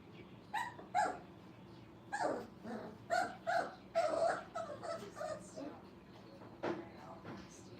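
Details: Five-week-old Brittany puppies playing together in a training kennel, giving a series of short, sharp yips and little barks in irregular clusters, some close together, with quiet gaps between.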